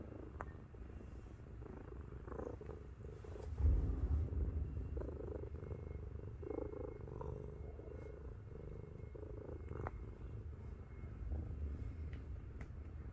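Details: Lying on a belly, the 7.5 kg cat Miru purrs with a low, rolling rumble that swells and fades in quick rhythmic pulses, joined by a brief louder thump and soft rustling.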